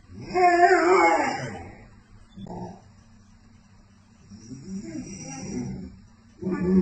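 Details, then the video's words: American Akita dogs talking to each other: a rising and falling moaning howl, then softer grumbling murmurs, and a fresh moan starting at the end, indoors. "American Akita Dogs Talking"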